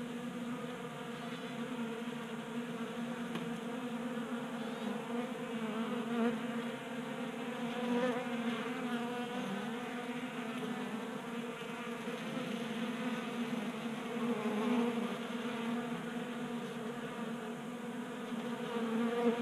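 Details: Wintertime honey bees in Colorado feeding from a 3D printed bee feeder on a garage workbench; constant buzzing chorus, slightly wavering in loudness, rich stacked harmonic tones.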